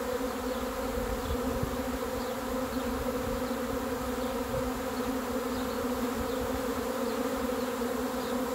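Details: Swarm of honey bees expected to arrive: a dense, steady droning hum with a low fundamental and strong overtones, unbroken throughout, with faint high bird chirps in the background.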